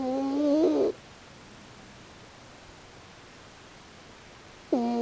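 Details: Pochi, a raccoon dog, snores in sleep: one full nasal, tonal snore lasting almost a second, slightly rising then falling, followed by near silence and the start of the next snore about four seconds later.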